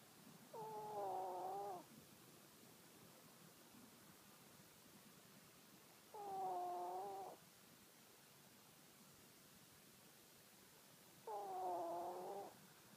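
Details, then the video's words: A pet chihuahua snoring in its sleep: three whistling, nasal tones with layered, slightly wavering overtones, each lasting about a second and repeating roughly every five seconds, with quiet breathing gaps between. "Our chihuahua snoring"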